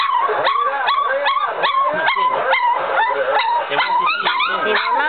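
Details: Chucky x Deuce puppies at three weeks old giving repeated short, high yelps, roughly two per second, each bending upward then down, over a steady backdrop of further whimpering littermates.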